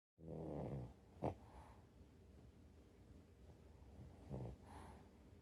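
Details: Rescued French Bulldog snoring while lying on its owner on a rainy day, 16 March 2025, when its walk was cancelled: a rough, nasal snore at the start, a sharp snort, then quieter breathing and another raspy snore.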